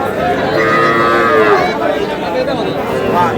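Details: Calves for sale at a Bangladeshi cattle market, where a Noakhali farmer buys small bull calves on 11 July. Clear tonal moos, one sliding downward, sound over background chatter of buyers and sellers.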